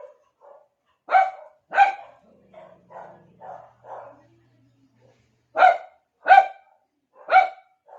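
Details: Pet dog calling to get another dog's attention: two sharp barks, then softer muffled grumbles, then three more loud, clipped barks spaced under a second apart.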